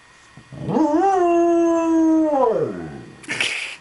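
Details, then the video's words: A dog gives a single howl that rises quickly, holds a level tone for about one and a half seconds, then slides down and trails off. A short burst of noise follows at the end. "The song of my "people""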